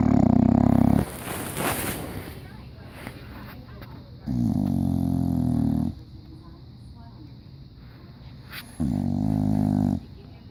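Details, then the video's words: Asleep in diapers, an English Bulldog snores loudly: three thick, low, growly snores roughly every four seconds, separated by quieter breaths and a brief burst of rustling noise. "Cute English Bulldog in diapers snoring loud"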